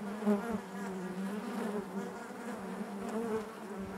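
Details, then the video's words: Steady hive drone from honey bees inside the hive, a continuous low hum with layered overtones and slight wavering pitch, fairly even in loudness throughout. "bees therapy hive natural buzzing sound"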